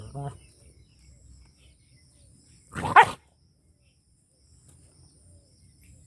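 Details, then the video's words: Angry dog barking in a Punjab village, Pakistan: one loud, abrupt, rough bark standing out against a quiet rural background, with a faint brief sound at the start. "FUNNY DOG BARKING & HOWLING"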